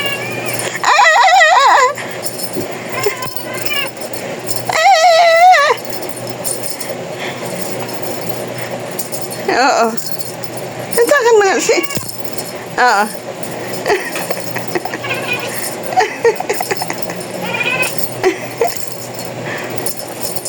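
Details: Talking cat giving a series of drawn-out, wavering meows, with bursts near the start, around five seconds and between ten and thirteen seconds, separated by quieter stretches of faint background rustling and clinking.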